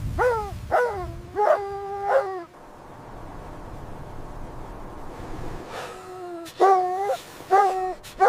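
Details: Several high yelping barks from puppies playing with their mother on snowy winter ground. The barks come in two clusters split by a few seconds of soft background hiss.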